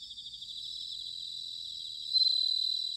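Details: Bell cricket song recorded in autumn at Sanuki, Chiba, Japan: a continuous high shimmering chorus, with one nearby singer breaking into a louder pulsed ringing trill near the end.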